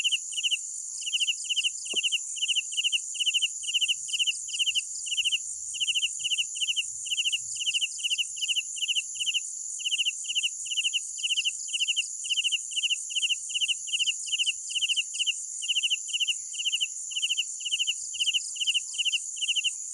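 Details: Crickets chirping at night in an even, fast series of high pulsed trills, rolling on for twenty seconds above a sustained shrill insect chorus, with one faint click near the start.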